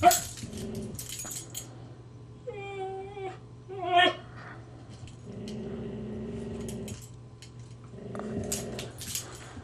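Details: Two huskies, a teasing puppy and a grouchy older dog that snaps and bares its teeth; low droning growls in long stretches, with short higher whines and yelps in between.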